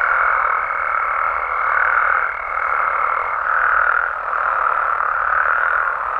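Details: Frogs and toads of Mexico at night, a thick chorus of croaks swelling and easing in gentle waves, with a thin high tone over the first half.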